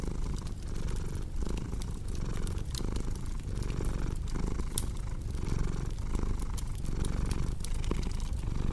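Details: Low rumbling purr from a domestic cat, pulsing in regular breath cycles just under a second apart, mixed with frequent fireplace crackles and pops.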